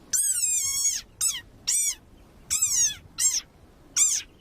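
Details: Angry desert rain frog giving its war cry, from a viral recording with 11 million hits, sounding like a dog toy: six shrill, high squeaks in quick succession, some long and wavering, others short chirps.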